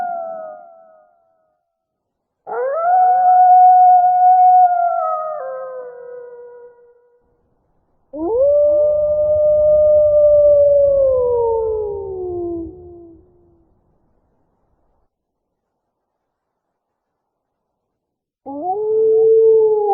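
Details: Wolf howling in a sequence of long, clean howls: a short fading tone, then a high steady howl, a second howl sliding slowly downward, and a final howl starting near the end, with silent gaps between.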